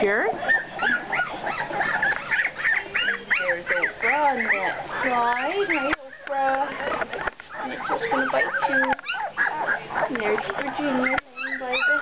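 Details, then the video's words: Two-week-old puppies whining in a litter, many overlapping high arched squeals and whimpers rising and falling in quick bursts, with short pauses between them. A person talks softly over the cries. "The pups at 2 weeks!"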